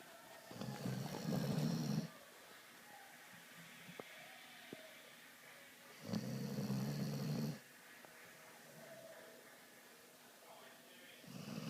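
A sleeping vizsla puppy snores in slow, rasping breaths spaced several seconds apart.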